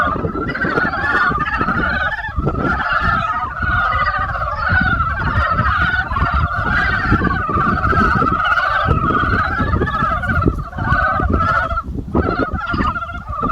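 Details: Spring chorus of frogs, many callers at once, their fast rattling croaks merging into a continuous two-layered drone with brief dips in volume, accompanied by persistent low-pitched rumble and scattered knocking sounds.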